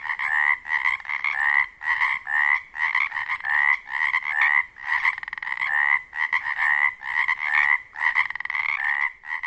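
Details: Pacific chorus frogs at a wetland near a lake on Washington's Olympic Peninsula at dusk in spring give a dense chorus of raspy, two-part croaks repeated rapidly as males call for mates in mating season.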